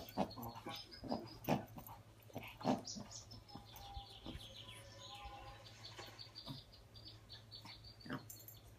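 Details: One-year-old male Yorkshire Terrier tearing up his teddy bear indoors; short nasal grunting whines in quick clusters, then fading to sparse snorts, over background television narration.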